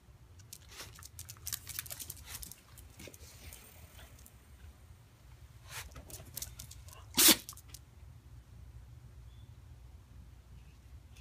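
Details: A pet Shiba Inu gives soft, airy snuffles and a faint, breathy yawn, then one short, explosive sneeze, over a low background hum.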